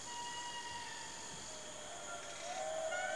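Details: A neighbouring indri group in dense Madagascar forest answers with far-off, drawn-out wails that hold steady, then slide in pitch. These territorial calls carry for miles and announce the group's claim to its patch of forest.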